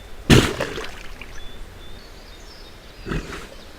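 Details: A moose sneezing in hot weather to clear pesky insects from its nose: one explosive, broadband blast of air, then a softer second snort about three seconds later, outdoors.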